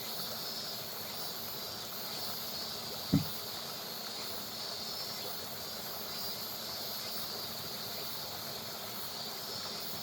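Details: Cicadas give a steady, high summer drone over the constant rush of flowing river water.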